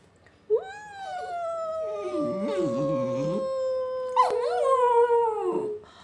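A Lakeland Terrier gives a sustained, tonal howl that drifts gently downward, breaks briefly, then resumes with a wavering finish. It howls in reply to a person singing, whose lower voice is faintly audible beneath.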